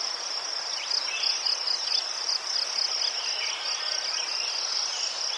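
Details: Chorus of crickets in Ukraine, high rapid pulsing chirps running without pause, with scattered quieter insect trills underneath.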